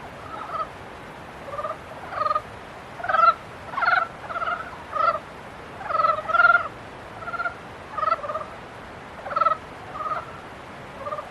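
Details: Frogs in mating season give rapid, throaty, rattling notes. Several individuals trade calls roughly every second, some bursts louder and nearer than others.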